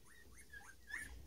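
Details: Standard Poodle puppies, nine days old, with their mother, born 12 March 2018 and recorded 21 March; a series of thin, high squeaky whimpers, each rising then falling, in quick succession over a faint hiss.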